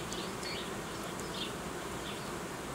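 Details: Honey bees in a Romanian apiary while colonies are united and old queens are replaced with young ones; a steady low droning hum fills the recording, with faint high chirps and clicks scattered above.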